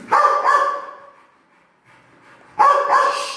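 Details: Pit Bull dog barking: two strong, harsh barks close together, a quiet pause, then another pair of loud barks, each with a steady tonal core and broad noisy edges; faint background noise between.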